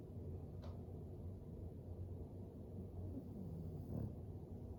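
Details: Floyd, an English Bulldog, asleep by a fire, gives low, soft snoring breaths under a steady low rumble, with a brief raspier breath near the end.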